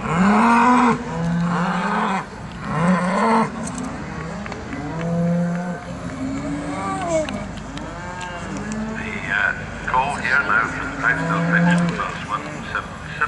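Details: Charolais cattle at an agricultural show in South Inch Park, Perth, Scotland, mooing repeatedly: a series of short and longer low, droning lows in quick succession, with background chatter and showground noise throughout.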